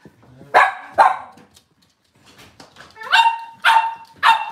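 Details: Cavalier King Charles Spaniel indoors in a kitchen on a cloudy Monday morning; loud, clear barks, two quick ones, a brief pause, then three more at even spacing, each with a ringing tonal core, over a quiet background.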